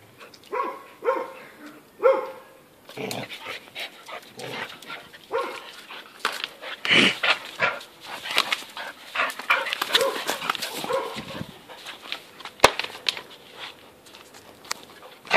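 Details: Two American Staffordshire Terriers, older Bosss and five-month-old puppy Rocky, playing rough at tug of war; short whiny yelps and barks come in bursts between scuffling and rattling noises, with spells of near quiet.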